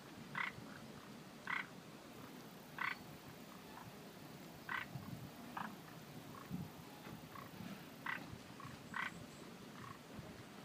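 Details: Frogs calling at a lotus park in Minamiechizen, Fukui Prefecture, Japan: clipped, nasal croaks come every one to two seconds, sometimes in quick pairs, with fainter answering calls and a low murmur behind.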